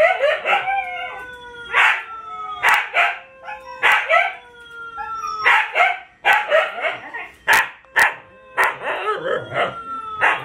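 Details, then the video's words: Group howling from Siberian Huskies named Luna, Gizmo and Arya with puppies: a long falling steady tone runs under choppy, quavering yodel-like bursts and sharp yips that come in quick clusters. "SIberian Husky Howling"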